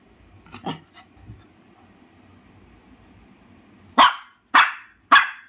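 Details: Shih Tzu dog with a couple of soft muffled sounds, then three loud, crisp barks in quick succession about half a second apart.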